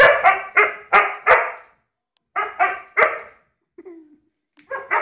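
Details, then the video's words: Dog near a lighter barking in quick bursts of three or four sharp harsh barks, a pause, another burst, then a faint short whine before more barks. "Dog and a ligter"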